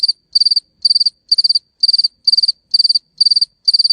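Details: Cricket chirping in a quiet setting: a run of nine short, high, trilled chirps, each made of four or five quick pulses, spaced roughly two per second with clear silent gaps between them.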